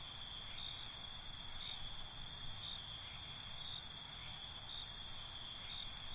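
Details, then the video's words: Night-time cricket chorus outdoors: continuous shrill high trills stacked in bands, a soft pulse repeating roughly every half second, and a faint rhythmic higher chirping running throughout over low background noise. "Night ambience, Cricket Conversations"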